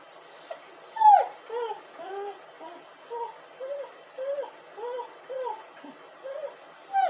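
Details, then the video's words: A crying dog whimpers steadily, each short whine arching up and falling, about two every second, with one louder, higher yelp early on; faint hiss fills the background. "dog crying and hurling!"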